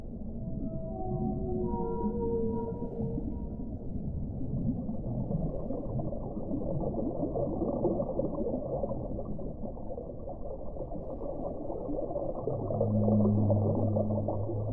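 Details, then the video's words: Whale vocalizations: a descending series of tonal moans, stepping from higher to lower pitch, fills the first four seconds. A dense muffled rumble follows, then deep low moans return near the end. "1 ora di suono delle balene"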